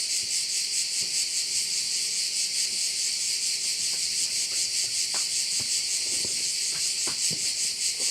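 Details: Korčula bay soundscape dominated by crickets: an unbroken high-pitched sizzling chorus with a steady rapid pulse, a low steady hum and occasional faint taps in the background.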